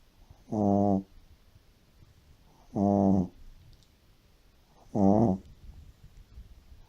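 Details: Shih Tzu sleeping deeply and snoring like an old man: three long, loud, buzzy rattling snores, each about half a second, spaced around two seconds apart.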